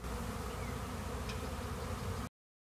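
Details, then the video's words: Many honeybees swarming around a swarm trap, bees everywhere: thick, unbroken low hum of massed wings, even and steady for about two seconds before abruptly cutting to silence. "Honeybee Swarms"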